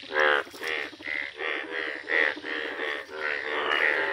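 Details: Indian bullfrogs, bright yellow, calling in a village: a string of short, reedy, bleating croaks, each roughly half a second apart, loud and close with others overlapping behind.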